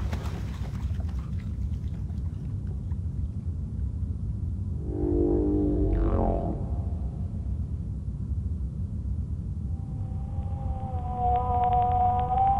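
A whale sings over a deep underwater rumble, first a rich harmonic moan that sweeps upward and falls. Later come steadier, wavering tonal notes layered in bright overtones, like a long mournful horn.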